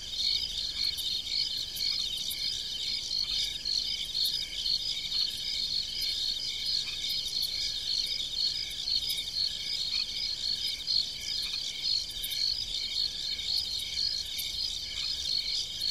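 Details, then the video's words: Night-time cricket chorus in the fields of a country farm: rapid, high-pitched chirps pulsing steadily, several insects overlapping into a continuous shimmering trill. "1 hr of Crickets chirping in the background as you imagine yourself at night on the farm relaxing"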